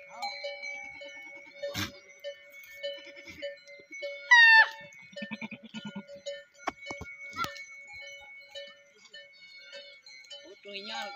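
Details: Goats of Tharparkar near Islamkot, Pakistan, recorded in 2021: one loud, wavering, harmonic bleat rises midway, with fainter low bleats later. Steady ringing bell tones run throughout, along with sharp clicks and knocks.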